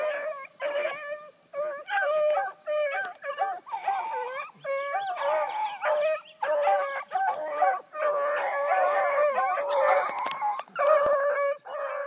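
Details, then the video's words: Bluetick hounds circle hard after a big running rabbit in the early morning of 22 July 2012. Several dogs bay together in a dense, nearly continuous chorus of rising and falling bawls. "THE BLUE'S ON A BIG RUNNING RABBIT 7-22-12"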